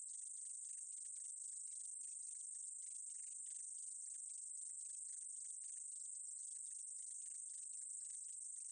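A short-winged meadow katydid sings a thin, continuous high-pitched hiss laced with rapid ticking pulses.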